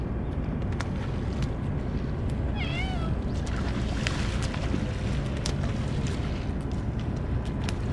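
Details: Stray cats, gathered in greater numbers than usual, fed only Churu treats after the Kalkan food and dishes were forgotten; one short wavering meow with a rising-falling pitch stands out over steady low rumbling background noise.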